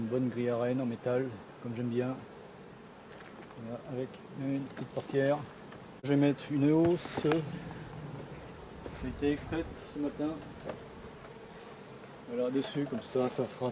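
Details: Honey bees from a drone-laying colony, their frames shaken out about fifty metres from the apiary. Repeated buzzy droning tones swell and fade as individual bees pass close by, their pitch wavering up and down, with quiet gaps between passes.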